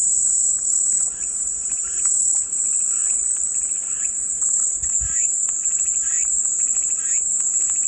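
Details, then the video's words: Calming cicada sound: an even, piercing high drone running throughout, with weak bird chirps mixed in and a brief low thump near the five-second mark. "마음이 평온해지는 매미소리"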